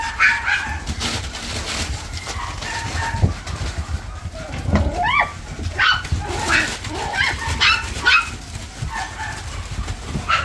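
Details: Toy Poodle with a white chest marking, uttering irregular high yips and brief rising, whiny calls spread through the recording, with constant low background noise.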